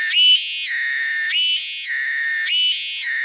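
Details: Cicada, locally called tonggeret, calling from trees. The song is loud and continuous and switches back and forth between a lower steady tone and a higher one about once a second, like a shrill siren.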